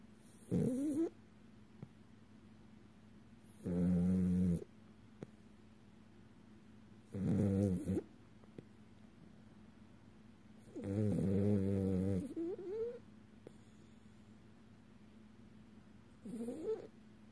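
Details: Sleeping French Bulldog, a male pet in REM sleep with eyes flickering, snoring in October 2018; rough, low snorts with whiny upper tones, about five bursts spaced three to four seconds apart, some longer and wavering.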